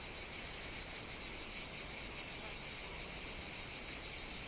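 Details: Summer cicada chorus on Evia, Greece, in the Mediterranean heat: continuous shrill, hissing drone, high and unwavering, with faint shimmering pulses and nothing else audible.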